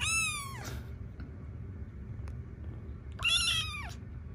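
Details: Tiny rescue kittens in foster care, kneading or "making biscuits", give two thin, high meows that slide downward. One comes at the start and another about three seconds later, with a quiet indoor pause between.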